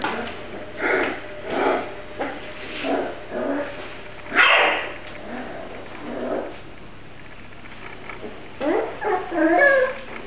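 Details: Grand Basset Griffon Vendéen puppies from the Viersenhoeve kennel, short yips and whimpers in separate bursts about a second apart, with a few quiet gaps and soft indoor background noise.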